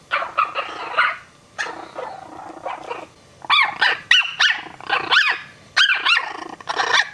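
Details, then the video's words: Three Chihuahua puppies react to an adult Maltese dog, one puppy barking at it; short high yapping barks with arched, rising-falling tones come in quick clusters separated by brief pauses, mixed with rougher scratchy bursts. "Chihuahua Puppies Startled By Dog's Bark"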